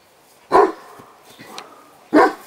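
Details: A female Mastiff from Poland, born 9 June 2007, gives two deep loud barks about one and a half seconds apart, with quiet background between them.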